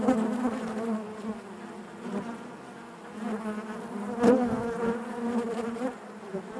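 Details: Inside a honey bee hive, a continuous buzzing hum with stacked harmonic bands, rising to a louder surge around four seconds before settling back into the steady drone.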